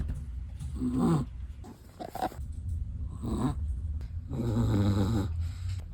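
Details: Chihuahua snoring while asleep, three wheezy snorts followed by a longer, deeper rattling breath, breathy and nasal with a faint background hum.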